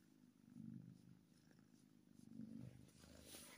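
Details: Contented kitten purring steadily, two louder rumbling swells about two seconds apart over a continuous low buzz, light rustle near the close.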